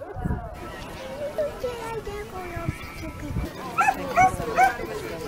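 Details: A 13-month-old Komondor at a Hungarian herding-dog working trial at Pomáz Magyar-vár on 3 October 2015 gives short, high yips and barks, the last three about every half second, with people talking nearby.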